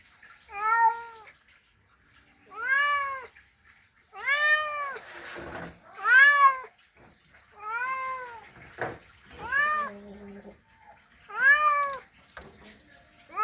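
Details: Mating call of a male cat calling to a female: seven arched, wailing meows over thirteen seconds, each swelling and fading, roughly two seconds apart, with faint rustling between some calls.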